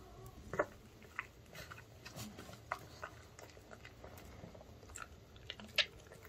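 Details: Male pug eating dog-friendly fried chicken indoors, a summer treat. Quiet crunching bites sound roughly every second, soft and irregular, over steady room hiss with faint moments of handling.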